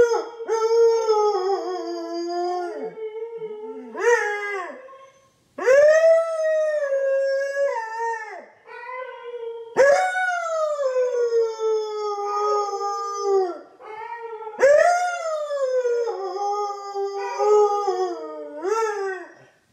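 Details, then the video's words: Siberian husky Loki in his talkative morning routine, howling along with his owner in a duet; a run of long tonal howls, each rising sharply then sagging and wavering, with brief breaks between them. "Howling Husky - My Dog Teaches Me to Howl!"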